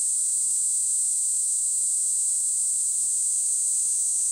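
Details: Kaempfer cicada singing a steady, unbroken high-pitched shrill buzz that holds one even tone and loudness throughout, with no other sounds apparent.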